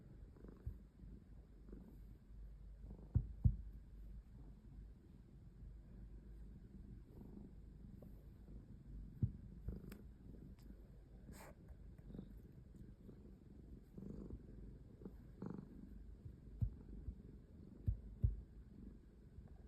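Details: Domestic cat purring indoors: a soft, continuous low rumble pulsing steadily throughout, with a few faint clicks and small knocks.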